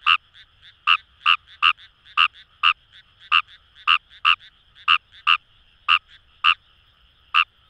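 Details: Kawamura's rice frog in the rice paddies of the Kamo River area, Itoshima, Fukuoka Prefecture, Japan, giving a steady run of about fourteen clipped, buzzy croaks roughly every half second, with fainter ticking notes between them and a still background.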